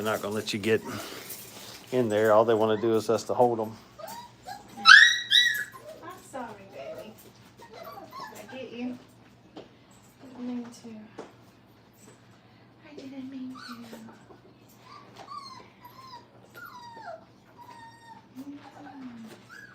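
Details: Five-week-old Brittany puppies in crate training. Thin whimpers rise and fall, with short squeaky yelps scattered through the second half. A human voice opens the recording indoors.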